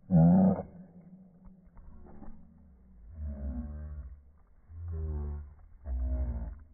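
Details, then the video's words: Boston Terriers fighting each other over a ball their owner holds: a sharp growl opens, then three long, deep rumbling growls follow at steady intervals, rough and harmonic, with quiet gaps between. "Boston Terrier Horror Movie"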